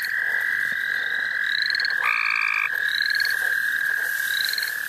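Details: Dense frog chorus at the St. Olaf College Natural Lands: an unbroken mid-pitched trill with a brief louder doubled buzz, and thin, rising high notes repeating around it.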